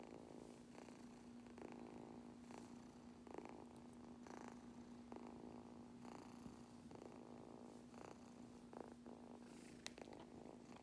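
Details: Purring kitten getting brushed: an unbroken, low vibrating purr with brushing swishes recurring every second or so, a couple of sharper clicks near the end, and a faint steady hum throughout.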